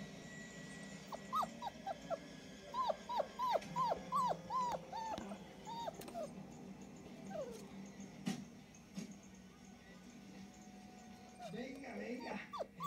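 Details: Four-week-old German Shepherd puppies exploring in Florida on 8 June 2017 give thin, high whimpering yelps in quick bursts, about a dozen over five seconds, then fall quieter; steady low hum and faint human voices underneath.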